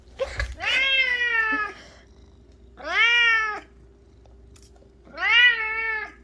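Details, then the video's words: Cat fixated on flower petals calls indoors with three long, loud wailing meows spaced about two seconds apart, each bending upward and then sagging, under a low steady room hum. "꽃잎에 엄청나게 집착하는 고양이🐱🚨고막주의🚨"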